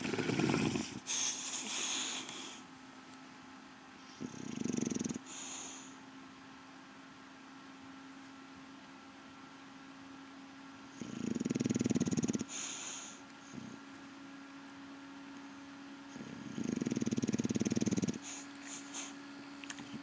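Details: English Bulldog Rocky Balboa snoring while asleep during his evening siesta indoors: four low, rough, rumbling snore bursts about a second long, spaced roughly four to six seconds apart, with quiet breathing pauses between them.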